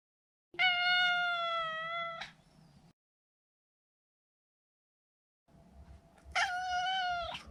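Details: Male Maine Coon, neutered, kept indoors, calls two long meows of about two seconds each, smooth and level with a slight upward flick at the end, a quiet pause between them.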